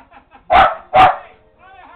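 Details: Pet Lakeland Terrier barking at the television indoors: two loud, harsh barks about half a second apart, with faint TV audio before and after.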